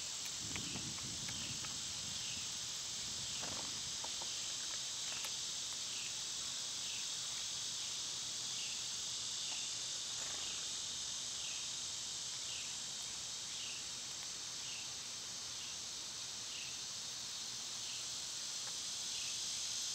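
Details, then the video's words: Loud summer cicadas form a shrill, unbroken drone that dips in a regular pulse roughly every second, with soft low rustling at the start. "Birds & Squirrels w/ Cicada sounds"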